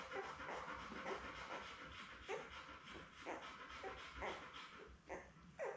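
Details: Litter of seven newborn Labrador Retriever puppies, born May 24, 2021, with their mother Belle on an indoor puppy cam on 4 June; soft panting breaths overlaid by short, squeaky whimpers recurring every second or so, a few louder cries near the end.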